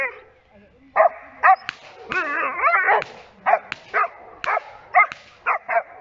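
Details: Giant Schnauzer in protection training giving loud, rough barks in uneven bursts, some single and some run together into a longer growling bark, roughly a dozen barks.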